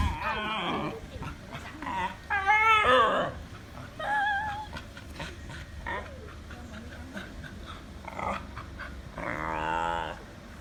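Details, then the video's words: Pet dog making funny noises: a run of high, wavering whines and yodel-like howls, some rising and falling in pitch, broken by short pauses and scuffling indoors. "My dog making funny noises !"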